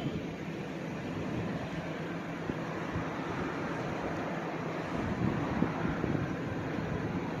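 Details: Steady broadband rush of wind or passing traffic fills the whole recording, with a few faint knocks and no animal voice.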